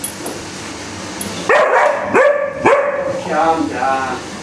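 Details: Alaskan Malamute puppy named Hudson yelling at a Henry Hoover vacuum: a series of short rising, yelping woo-sounds followed by a longer warbling, wavering moan, with quiet room noise and a soft voice in the background.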